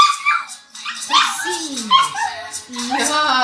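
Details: A male dog howls along whenever a particular phone ringtone plays, giving drawn-out, quavering howls that slide up and down in pitch over the bright electronic tune, while a woman praises him between howls.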